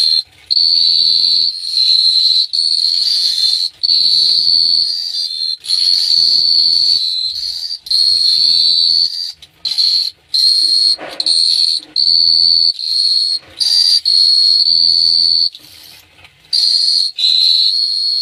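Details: Chirping crickets in Phteah Prey at night: a shrill high trill comes in many bursts of about one to two seconds with short gaps, over a soft low-pitched hum.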